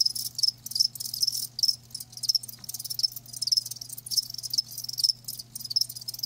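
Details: Live crickets chirping in short pulsed bursts, several per second, high and thin, with overlapping irregular chirps and a steady low hum underneath.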